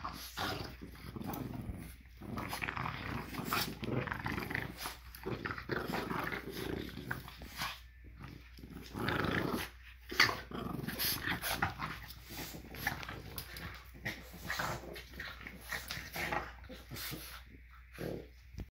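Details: Two French Bulldogs play tug-of-war after breakfast on a Monday morning, growling and snorting in rough, rumbling bursts.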